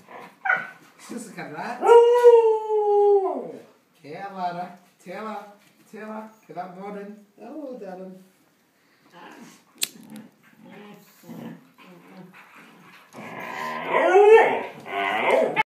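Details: Scrapping dogs give a long wavering howl-like cry, then a run of short rhythmic growling pulses, ending in a loud harsh snarling burst.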